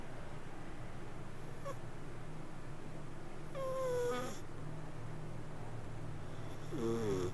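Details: A cat asleep lets out two thin, whistled breath squeaks that glide downward, several seconds apart. A constant low rumble runs underneath throughout.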